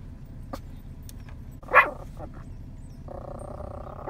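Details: Nine-month-old Yorkie barking at cows scattered in a field, calling them in; two sharp, high barks about two seconds apart over a quiet outdoor hum, with a steady drawn-out tonal sound in between.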